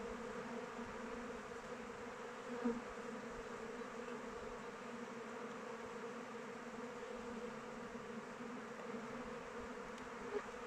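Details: Many honey bees in flight around a hive in open weather, giving a continuous layered buzz with a low hum and higher whine; a single bee passes close near the three-second mark and again at the end.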